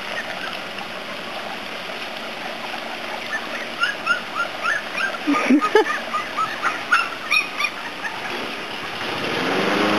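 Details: A litter of puppies, three weeks and two days old, at Prairie Kennels of Iowa gives short, high squeaky whimpers and chirps clustered in the middle seconds, over a steady rushing background noise.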